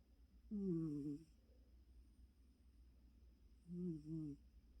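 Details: Choco, a pet cat, asleep and very tired, snoring: two harmonic, slightly falling snorts about three seconds apart, each under a second long, in a quiet indoor setting.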